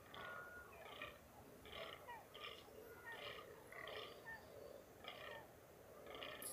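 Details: Free-range fallow deer in the rut, mountains of NSW, Australia, stalked on foot: rough, belching grunts repeat roughly once a second in a steady series, somewhat distant, with faint outdoor background.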